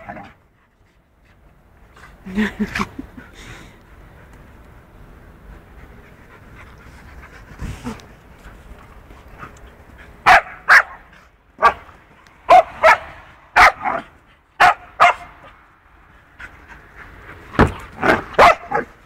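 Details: Two dogs in rough play, Punky the two-year-old poodle and a four-month-old wolfdog puppy, both clumsy. Soft panting and scuffling at first, then sharp barks come in quick bursts about half a second apart, with a final cluster near the end.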